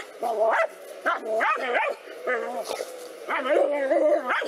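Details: Two black dogs fighting a cobra: loud, harmonic barks and yelping whines in short bursts, several sliding up and down in pitch, about five bursts over four and a half seconds.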